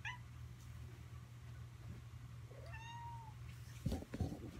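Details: Kittens in a home foster setting in Alabama; one clear, drawn-out mew near the middle, a few faint higher squeaks, then soft thumps and shuffling, all over a constant low mechanical hum.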